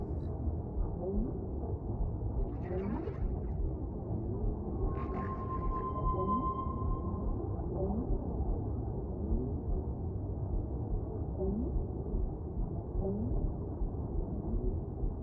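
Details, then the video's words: Whale song over steady low rumbling water noise: short rising swoops repeat through the clip, and midway a long, level, high tone holds for about two seconds, with a fainter higher tone above it. "Whale Sounds"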